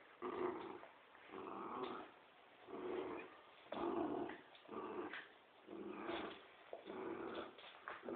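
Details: Dogs growling while playing tug of war, a Poodle against a Dobermann: a steady series of harsh rumbling growls, about one burst per second, each separated by short pauses, indoors.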